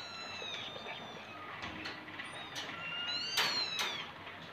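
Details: Persian cats kept for home breeding, with a litter of kittens present; thin, high-pitched mews, some rising and some falling, come in an irregular series while a woman talks softly in Indonesian.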